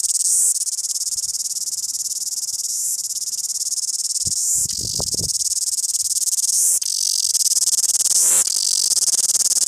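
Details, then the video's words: Wellington cicada giving a loud, sizzling high buzz sustained in long stretches, interrupted by short breaks every two seconds or so, with a brief cluster of low knocking thumps midway. "Loud cicada Singing Wellington"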